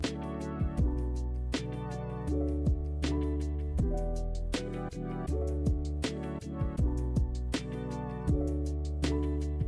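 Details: Soft instrumental music plays throughout, with plucked notes and sustained harmonic chords over a warm low bass. No animal voice can be picked out.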